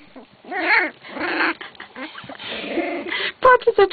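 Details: Wolfspitz (Keeshond) puppies from a B litter whimpering with wavering, whiny tones, then noisy scuffles and a few sharp high squeaks at the end, while a person talks softly.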